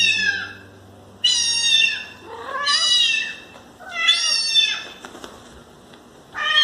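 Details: Domestic cat meowing: high, harmonic-rich mews of about a second each, some rising then falling, repeated with short pauses, with faint music under the opening seconds.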